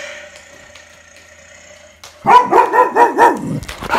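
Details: Retriever dog at home barking at a played lion roar: after two seconds of near quiet, a fast run of five or six loud, arched barks follows in quick succession.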